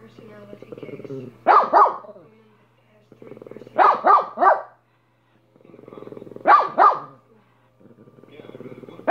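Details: Barking from Minnie, a dog: clusters of two or three sharp barks roughly every two and a half seconds, each preceded by low throaty grumbling.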